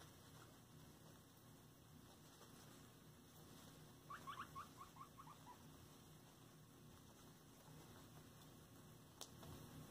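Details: During floor time, pet guinea pigs let out one quick burst of about eight squeaky notes that step downward in pitch within roughly a second. Quiet room noise comes before and after.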